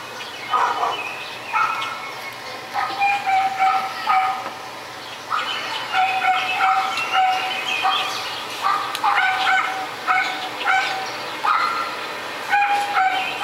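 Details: Neighbours' dogs barking in a residential neighbourhood on 20 May 2010, part of noise that went on for hours each day: short, sharp, ringing barks in quick bursts, several overlapping, with brief pauses between volleys.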